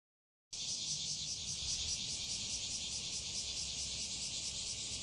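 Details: Bear cicadas begin singing near Fukuoka, Japan, on 11 July 2021, a loud, continuous high buzz with a fast, pulsing throb.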